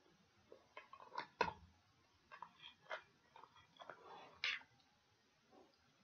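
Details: Close-up gnawing from a dog working on pig ears for ASMR: irregular crunches and soft smacking clicks, a few sharper snaps standing out against a low hiss.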